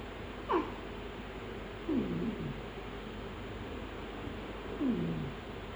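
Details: Persian cats fighting in Gujranwala, one cat punching its mate in the face; three short, downward-sliding cries about every one and a half seconds, each dropping quickly in pitch, over a steady background hiss.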